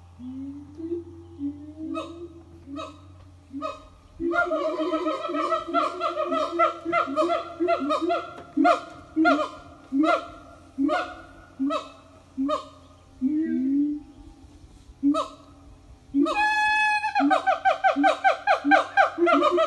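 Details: A family of siamangs sings in the morning at an eco-tourism organic farm; steady series of booming hoots, spaced about a second apart, ending in a loud rising scream and quick barking notes.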